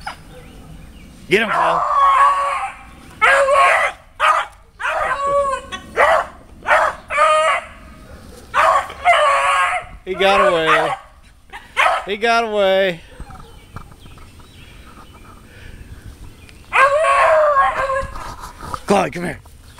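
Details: Beagles baying while treeing a squirrel outdoors: loud, harmonic, bawling bursts repeated roughly every second, some long and wavering, others short and choppy, with quieter gaps between volleys.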